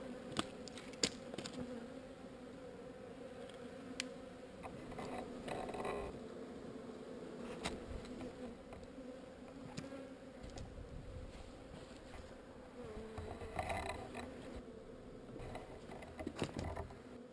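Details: Honey bees from one of two swarms being relocated away from an undesired location; a steady low droning hum runs throughout, with scattered sharp clicks and knocks over it.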